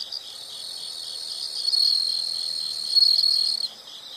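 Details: Insect sound for relaxation: a shrill continuous high trill, quieter at first and growing louder, with a brighter pulsing stretch toward the end before it fades out after three and a half seconds.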